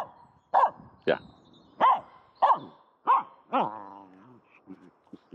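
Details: Playing with a stick in a horse pen with no horses, the female dog Aamu gives six sharp barks spaced roughly a second apart, followed by softer yips and brief human speech.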